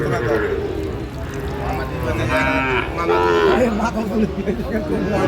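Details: Sahiwal bull, about eight months old, being bargained over at a cattle market as a Natore farmer buys, 2 February 2025; a drawn-out, harmonic moo midway, with men haggling over prices and crowd chatter throughout.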